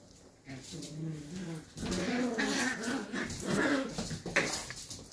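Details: Two 11-week-old Shetland Sheepdog puppies in rough play, giving low harmonic growling and whining vocalizations that rise and stack in bursts, mixed with scuffling and thumps of wrestling.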